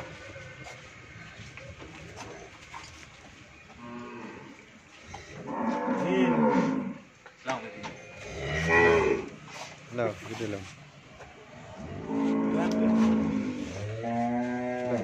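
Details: A first-calving Friesian cow with a bull calf, kept on a dairy farm in Pabna, Bangladesh, lows several times: long, throaty moos of one to two seconds that come in irregular bursts, over background farm clatter.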